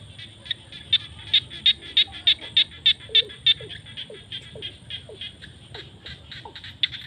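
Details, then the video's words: A close frog calls in fields at sunset during the rainy season with sharp high pulsed notes, about four each second and loud and regular at first, then sparser. Softer short chirps and a distant chorus fill the background. "The sound of frogs crying in the fields at sunset during the rainy season"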